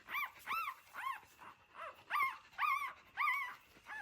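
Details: A dog from a family of a mother dog and her puppies born in an old house whimpers in a repeated series of high, arched, whining cries, about two each second, with some louder and some softer.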